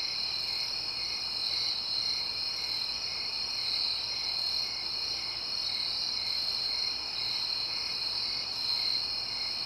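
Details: A steady nighttime chorus of crickets in the suburbs, their high, shrill chirps blending into a continuous trill, with quiet, distant traffic.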